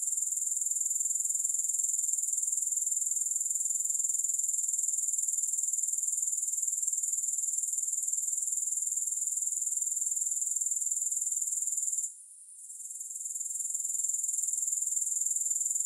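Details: Shrill, unbroken high trill of grasshoppers with no background music, pulsing quickly and evenly for about twelve seconds, a short fade near the end, then the same steady buzzing again.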